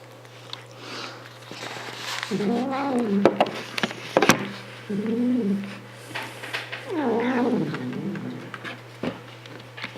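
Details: Pet cat calling while eating indoors in a small room: drawn-out, wavering meows rising then falling, three main calls about two seconds apart, with sharp clicks and faint chewing noises between them.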